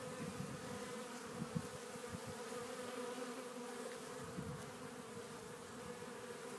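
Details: Honey bees at a Warré hive entrance in spring, April 12th, taking in loads of pollen; a dense, steady droning hum of many bees with occasional louder buzzes from individuals flying close.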